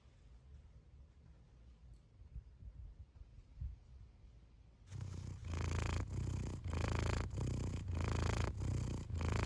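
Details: Male domestic cat play fighting and wrestling with his brother; quiet shuffling at first, then a loud rhythmic rumbling purr pulsing about four times a second through the final four and a half seconds.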